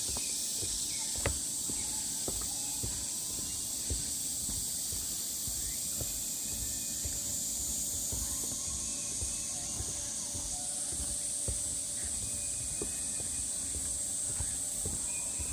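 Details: Cicadas singing along the Deogeumsan Solbaram-gil pine trail in Namwon, Korea, on 16 August 2019: a dense, steady high buzzing drone that shifts pitch twice midway, with faint whistled bird notes and scattered soft taps underneath.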